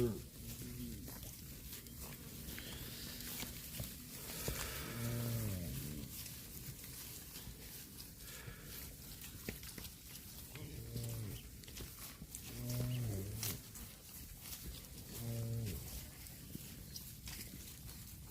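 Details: Cattle mooing while eating grass: several short, low, harmonic moos around five, eleven, thirteen and fifteen seconds, with a steadier low drone earlier and human voices in the background.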